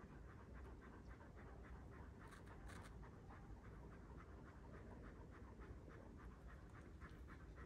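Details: One-year-old Kangal dogs in Alanya, Antalya, Turkey, on 24 September 2024: steady, rapid panting, soft breathy pulses coming several times a second over a low background rumble.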